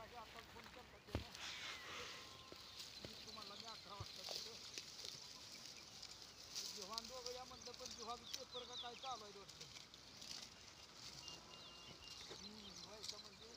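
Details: Kamori goats during crossing and meeting, with several wavering, tremulous bleats rising and falling in short bursts across the recording, often overlapping, amid human voices and outdoor rural background noise.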